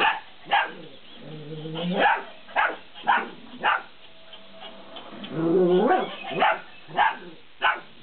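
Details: Belgian Malinois puppies, 50 days old, playing with a laughing cat toy: sharp high yapping barks spaced about every half second, broken by two stretches of the toy's mechanical laughter with stacked rising tones.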